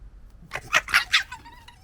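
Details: Local wild fox family, gekkering and arguing: a rapid burst of four harsh, chattering barks with bright upper tones over about three quarters of a second, followed by a thin, fading whine.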